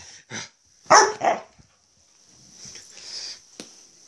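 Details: Female pet dog playing excitedly in the early morning, giving a quick yip then two loud, short barks in a row, followed by quieter shuffling sounds.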